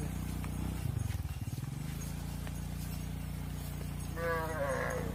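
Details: Mother cows filing into a barn, calves left outside; a long, low, droning moo fills the first two seconds, then a higher, wavering cattle call rises near the end.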